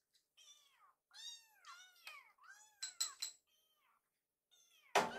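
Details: Hungry kittens in a kitchen meow insistently as food is readied, a run of bright harmonic cries, then a loud clink of dishes at the end.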